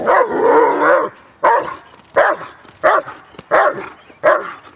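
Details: Kraftwerk K9 German Shepherd during protection training, giving loud, rough barks. The first is a drawn-out, roaring bark lasting about a second, then five short, forceful barks at intervals of about 0.7 seconds.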